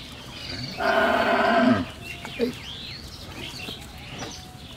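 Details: Holstein Friesian cow that has calved twice, kept with her bull calf on a dairy farm in Pabna, Bangladesh: one loud, harmonic moo lasting about a second that drops in pitch at the end, followed by faint bird chirps and quiet background noise.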